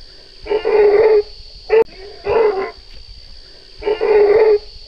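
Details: Baby Asian elephant, alone without its mother, stuck in a ditch and scared and nervous while a group of men rescue it: three harsh, buzzy squealing cries of under a second each, spaced about a second apart, over a steady hiss.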